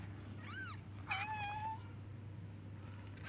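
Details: Baby kitten calling for its mother with a high arched meow followed by a longer, level, drawn-out cry, over a constant low electrical hum.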